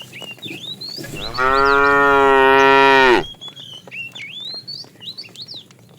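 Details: Fat cow in a herded tame herd during the afternoon, calling the female: a single long, loud, steady moo of nearly two seconds, flat and richly harmonic, with birds chirping before and after.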